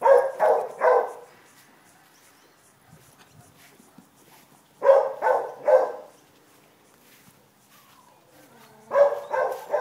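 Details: Rosie the Great Dane, playing and running around after one week, gives deep barks in quick clusters of three, separated by quiet pauses, with a faint whine between groups.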